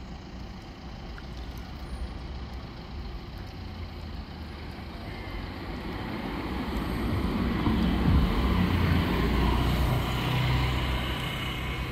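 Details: Low street traffic rumbles throughout and swells as a heavy vehicle passes.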